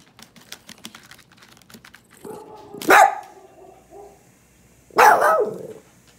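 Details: Puppy at home meeting the sound of another dog's recorded bark: soft tapping clicks at first, then two loud, harsh barks two seconds apart joined by a low sustained tone.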